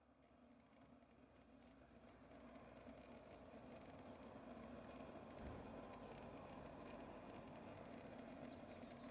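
Honey bees produce a continuous low, buzzing drone, like many wings beating together, that swells a little and then holds steady. No other clear sounds stand out against the hum.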